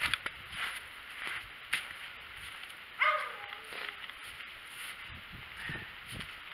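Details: White cat outside in the snow: a single short meow midway, starting clear and sliding downward, set among soft rustling and scattered crunchy steps.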